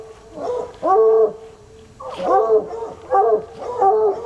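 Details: Coonhounds Sunny and Hazard, two untrained dogs, baying outdoors at a spot they have fixed on; short harmonic bays in quick pairs with brief gaps between.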